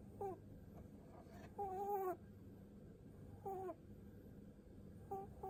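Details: Pet rabbit, seven years old, giving pu-pu snoring breaths as its head is stroked: short humming tones of varying length, the longest near half a second and dipping at the end, spaced irregularly against faint background hum.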